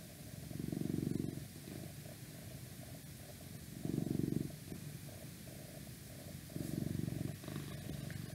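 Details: Cat purring close up in an ASMR recording: deep rhythmic rumble swelling loudly three times at intervals of about three seconds, gentle purring in between, faint background hum.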